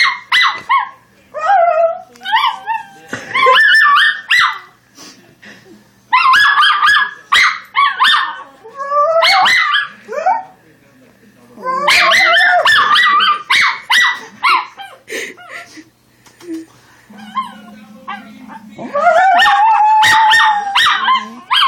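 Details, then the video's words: A female Schnauzer puppy sings along to sounds. Bursts of rapid yips and short barks mix with wavering howled phrases, and a steady sustained howl closes the sequence. A faint low hum comes in briefly near the end. "Schnauzer Puppy won't stop singing"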